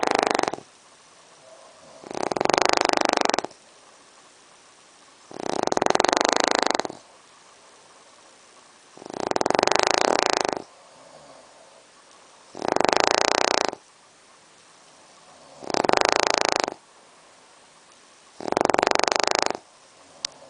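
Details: Loud snoring from a brachycephalic dog suffering airway obstruction, recorded indoors at night by torchlight: seven long, rough, roaring breaths about every three seconds, each rasping a second or so, separated by near silence.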